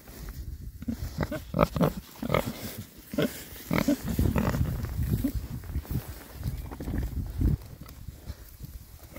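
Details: Happy rare breed Oxford Sandy and Black pigs, six males, rooting about in winter between storms; low, throaty oinks and short grunts follow one another closely, with snuffling and scraping of ground material throughout.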